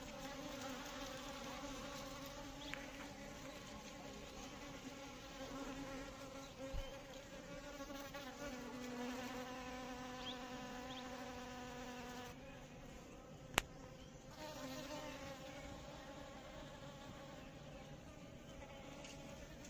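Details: Continuous hum from Asian honey bees, a low droning tone layered with even harmonics that holds steady throughout, with a single sharp click partway through.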